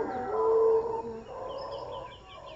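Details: Howler monkeys at Jungle Land, Panama give a loud, hollow, droning roar that fades, with birds chirping behind.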